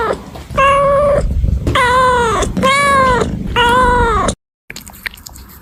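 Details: Kittens meowing, three loud drawn-out meows of lower pitch, each swelling and bending slightly downward, with a rumbling background, followed by a sudden cut and faint noise.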